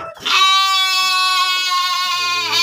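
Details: Breeding sheep kept in a pen in Tanjungjaya village, Subang, Indonesia, uttering one long, loud, steady bleat with rich harmonics that wavers slightly toward its end.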